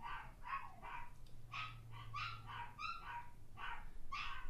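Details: A Toy Fox Terrier gives a quick series of high, sharp barks, several each second, while listening to barking dogs on YouTube.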